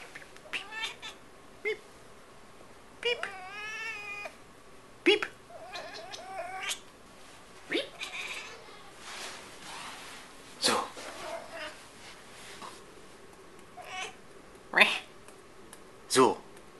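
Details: Female Tonkinese cat talking at home, giving a varied run of chirping, wavering meows and short trills scattered irregularly, some long harmonic cries and brief sharp calls, with a person speaking now and then in between.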